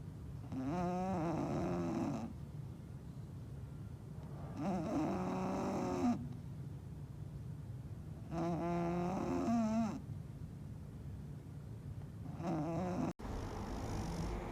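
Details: Sleeping English bulldog snoring loudly and steadily. Each drawn-out, rattling, harmonic breath lasts about a second and a half and returns roughly every four seconds, with quiet gaps of low hum between them.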